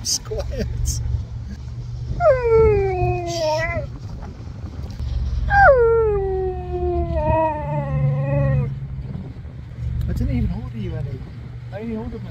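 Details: Husky howling its 'order' to staff at a drive-thru window: two long, harmonic howls that start sharply and glide slowly down, with a wavering tail. Short yips follow near the end, along with people's voices and a steady engine hum.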